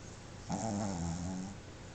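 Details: Sleeping Boston Terrier Pepe, a household pet, snoring with tongue out and eyes open; a single rough, buzzing snore lasting about a second, starting abruptly and fading out, in a quiet indoor room.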